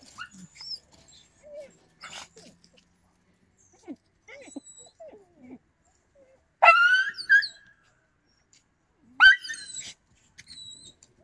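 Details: Yakutian Laika in November 2020: mostly faint rustling and soft sounds, then two loud, sharp, ringing yelps a few seconds apart near the end.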